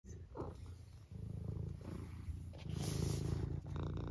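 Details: Senior tabby cat from the UK purring steadily, a low continuous rumble throughout, with a brief soft vocal at the start and a woman speaking affectionately nearby.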